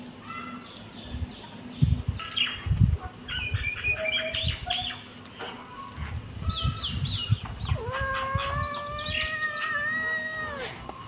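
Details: Kittens meowing: a cluster of short, high, thin calls early on, then a long, steady, drawn-out meow of about two and a half seconds near the end, over low rumbling handling noise.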